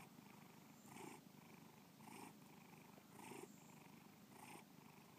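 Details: Bubba, a domestic cat, gives a rhythmic rumbling purr, louder inhaled swells every second or so alternating with softer stretches, in a quiet indoor setting.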